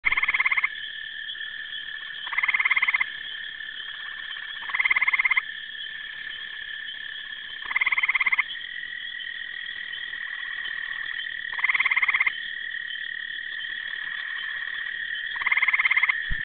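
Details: Frogs in spring call in a steady high chorus, with louder rasping bursts breaking through every few seconds.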